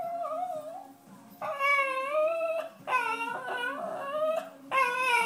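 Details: Cairn Terrier named Roxy, indoors, crying while begging for pizza: long, wavering, high-pitched whines, rising and falling in drawn-out phrases of one to one and a half seconds, with quieter pauses between them.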